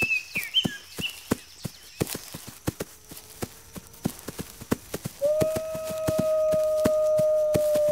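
A wolf's long, steady howl swells up midway over a run of regular sharp clicking knocks.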